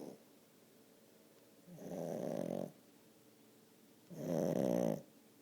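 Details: Haley, a 10-month-old French Bulldog, snoring: two loud, rasping, buzzy snores of nearly a second each, roughly two and a half seconds apart, with near silence between them.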